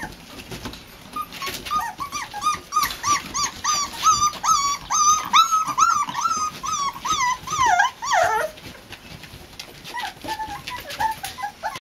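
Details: Four-week-old Boxer puppies in an outdoor pen on a front porch, first time in their new daycare pen, whining in a rapid string of high, bending whimpers about twice a second, rising to a louder squealing burst near the end.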